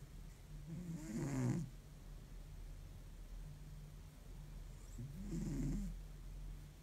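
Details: Tired cat in deep sleep, snoring like an old man: two low, rasping, drawn-out snores about four seconds apart, each swelling and fading, with a faint hiss on top and a steady low hum between.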